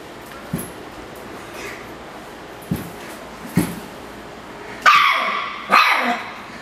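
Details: Ruffus, a miniature schnauzer, gets angry at a Yakult pot: a few soft taps and thumps, then two loud sharp barks about a second apart.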